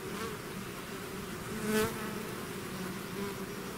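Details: Bees swarming outside their hive: thick, even droning hum in two low bands, swelling briefly as a single bee flies near the recorder midway.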